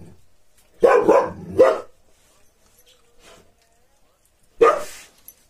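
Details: Gaddi guard dog giving three quick, loud barks in close succession, then a silent pause of about three seconds before one final bark.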